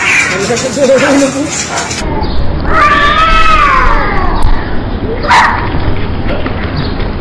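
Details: Alley cats fighting, giving a long wavering yowl that rises and falls over about a second, with harsh hissing screams around it and loud noisy background throughout.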